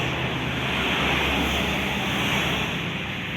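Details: Steady broadband rushing noise, like passing traffic or surf, fills the whole stretch with no animal call.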